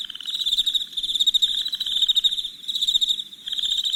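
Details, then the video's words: Crickets chirping at night, high rapid pulses swelling and fading in waves about every second. Lower buzzy trills break in briefly three times over four seconds. "Soothing Crickets Chirping Sounds"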